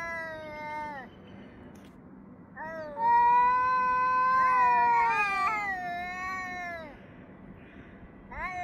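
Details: Cats trading yowls with each other, recorded 3 Av 5785, 6:01–6:04 summer time: a falling wail, then several long, sustained, slightly wavering howls that overlap before tapering off, with a fresh cry starting at the end.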